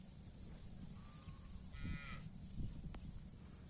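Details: A cow in a rice field mooing to call its companions: one short, low moo near the middle, then a second low pulse, quiet under steady background hiss, with faint thin whistled tones alongside.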